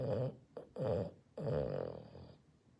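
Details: A Boston Terrier, asleep, snores loudly in rough, rattling bursts with brief pauses between breaths.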